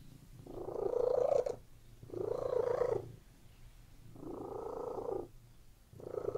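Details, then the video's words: Domestic cat purring while lying on a bed. Four rhythmic bouts of soft, rapid, throbbing purring, each about a second long, alternate with short quiet breaths in between. "CATS PURRING"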